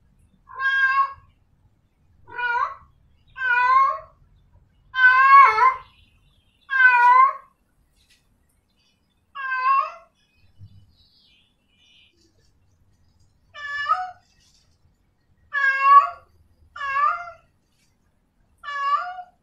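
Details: A female cat in heat calls out for a male with about ten harmonic, quavering meows, each ending in a downward bend. The calls come in an uneven series every one to two seconds, with a pause midway, against a quiet background.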